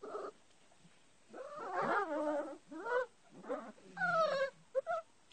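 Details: Puppies about five weeks old playing with their mother give wavering, high-pitched whines and yelps in several bursts, some rising then falling. Short squeaks close the sequence against a quiet indoor background.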